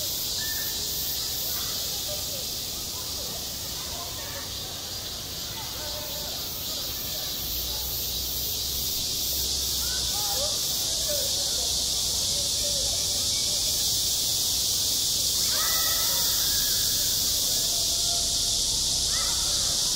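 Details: Summer cicada chorus over a school playground, a continuous shrill electric buzz that never pauses. Faint voices and scattered mid-pitched sounds drift underneath, most noticeable toward the end.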